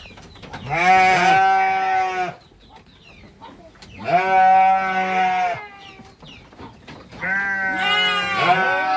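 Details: Goats at a goat farm, a family of kid, mother and father: three long, wavering bleats of about two seconds each, rich in harmonics and separated by short pauses, with a quiet voice just before.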